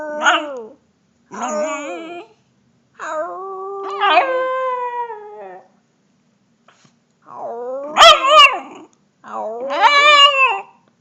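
A puppy gives a run of wavering, drawn-out howls, some breaking upward into higher yelps.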